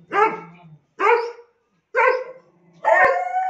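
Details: Saint Bernard puppies barking: four short, fairly high, yelping barks about one second apart, the last one longer and drawn out, with a faint click underneath.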